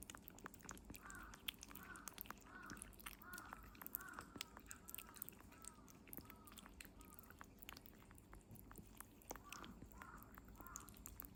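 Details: Kitten Norimaki, 57 days old, eats Medifas weaning food, giving a row of short squeaky hums, about ten in quick succession, over scattered sticky clicks and smacking from chewing; low steady room hum behind.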